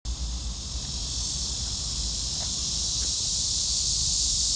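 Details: Cicadas in chorus: a dense, steady, high-pitched buzzing hiss that holds without a break and swells slightly louder toward the end, with a low rumble underneath.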